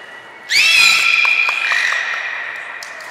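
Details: Captive belugas Hodoi, Taanya and Mirai at Port of Nagoya Public Aquarium, Japan, 14 March 2021, during a pool move and training: a sudden bright, harmonic, squealing call starts after half a second and holds steady, slowly fading, over a quiet hall background.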